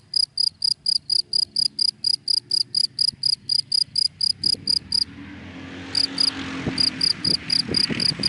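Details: ['Daytime cricket in dry grass, steady high chirps about three per second, briefly stopping midway while a passing car swells into a rising rush of noise, then chirping resumes over the traffic.']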